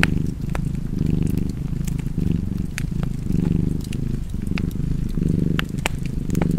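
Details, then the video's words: Low, vibrating cat purr with rhythmic rise and fall on inhale and exhale, about six pulses, while a fireplace snaps and crackles in the background. "Cozy Purring Cat ASMR"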